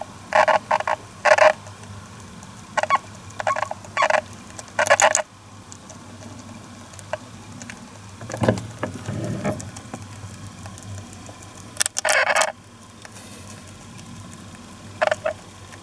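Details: A Syrian hamster, on its first day in a new home, gives short, sharp squeaks in quick bursts with pauses between them, calling continually.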